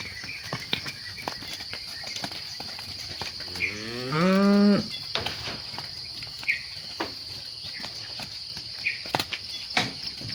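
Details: Evening herding of cattle at sunset, with one rising moo of about a second midway, then a background of steady shrill insect drone, occasional bird chirps and soft clicks.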